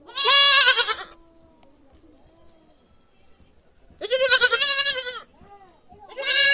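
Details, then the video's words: Goat screaming loudly: three long, harsh, quavering bleats, each about a second, separated by quiet gaps with faint softer calls. "Goat sound baa baa baa || goat sound effects || Goat screaming loudly"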